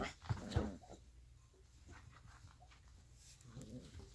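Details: Alaskan Malamute puppies, 3.5 weeks old, playing: a brief high, harmonic whimpering yelp near the start, then soft shuffling and faint rustles, with a few quiet squeaks toward the end.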